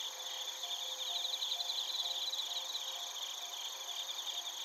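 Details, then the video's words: A chorus of crickets, including bell crickets, in Narita, Chiba Prefecture, Japan; bright rapid pulsed chirps stand out above a continuous high shimmering background of other insects. "スズムシとコオロギの鳴き声 - Chirping of crickets"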